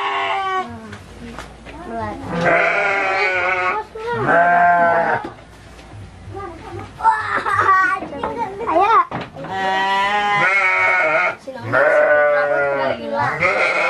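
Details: Repeated drawn-out bleats of Garut sheep kept for ram fighting at a farm in Cilawu, Garut, West Java, several long steady cries broken by wobbling ones, over busy human voices and background music.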